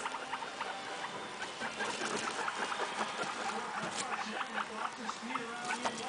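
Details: Several short, chirpy guinea pig squeaks over continuous rustling and patter, with quick clicking sounds in between.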